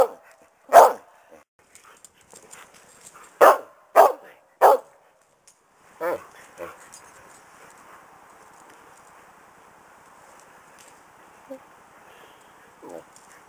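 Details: During rowdy pack play, a mother Karelian Bear Dog barks at her pups: a single sharp bark, then a burst of three quick barks and one more, followed by a long stretch of faint background rustle.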